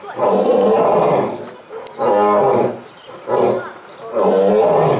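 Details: Captive lions at Belgrade Zoo giving a series of four powerful roars in quick succession, each a rough, resonant blast about a second long, with short gaps between them.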